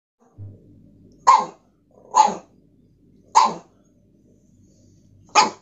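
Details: Pug dog crying out because he wants his toy: four short, sharp bark-like yelps spaced about a second apart, each bursting loud then cutting off quickly, with quiet room background between.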